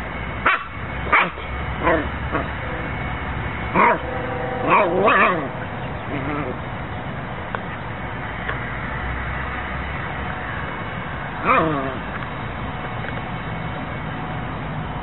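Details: Siberian Husky giving several short yipping, whining calls in bursts, some with wavering harmonics, separated by pauses, with a person talking to the dog nearby.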